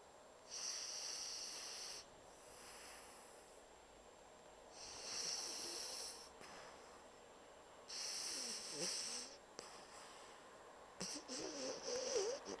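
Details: Pocket Bulldog Bumble deeply asleep, snoring; slow hissing, wheezy breaths roughly every three seconds, airy and high-pitched with a snorting rattle near the end.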